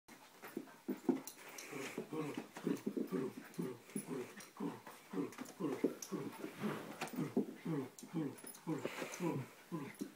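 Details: Luke, a poodle, performs his poodle dance, giving a long run of short, low, grumbling yelps repeated about three times a second with a steady pulsing rhythm throughout.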